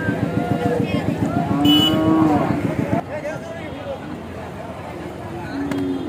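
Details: Large cow unloading from a truck gives one long, smooth, even moo over a pulsing engine, then the engine drops away, leaving quieter background hum and a softer, shorter low call near the end.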